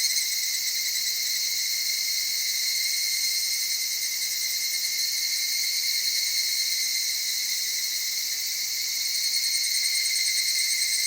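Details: Soft-voiced evening cicada echoing through Okutama cedar forests with mountain streams, Tokyo, Japan, at dawn or dusk: a constant high, ringing insect chorus with faint wavering pulses throughout.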